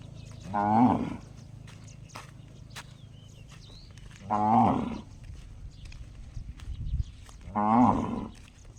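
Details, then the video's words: Cow calling out in a way likened to a gong: three strong, ringing, harmonic calls spaced roughly every three and a half seconds, each lasting about half a second, with faint clicks and low background hum. "Funny cow noise sounds just like a gong"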